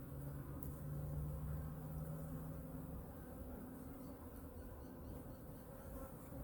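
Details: Honey bees of Hive #2 during a winter inspection and feeding: a dense, even buzzing drone with a strong low hum through the first half, under soft rustling.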